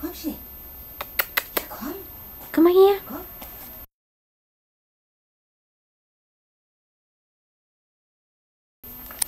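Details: Bonny, a six-week-old yellow female Wolfsspitz puppy, moving about: a few short, arched whimpering yelps, the strongest a drawn-out whine near the middle, mixed with sharp clicking taps, then a long stretch of silence.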